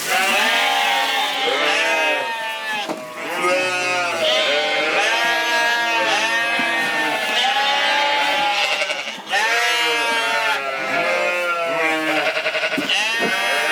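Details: Corriedale sheep on a Canadian farm, many animals bleating at once in a loud continuous chorus of wavering, overlapping calls that pulse and rise throughout.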